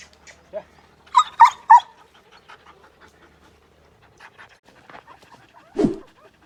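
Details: Wolf dog, a breed popular in Pakistan and Sindh, gives three quick, sharp, yelping barks in a row. A quiet stretch of faint sniffs and panting follows, then a single lower, rougher bark.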